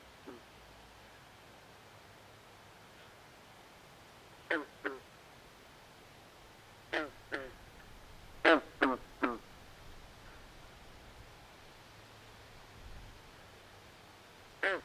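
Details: Frogs calling at night in a swamp: short, harsh, duck-like croaks with a rough rasp, heard singly, in pairs and as one run of three, scattered across quiet, faintly hissing background.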